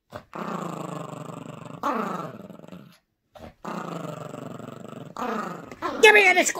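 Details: Indoor tug-of-war with a squeaky toy, a Yorkshire Terrier puppy growls in two long gravelly bursts separated by a short silence. A man speaks Dutch nearby, and high squeaky sounds come at the end.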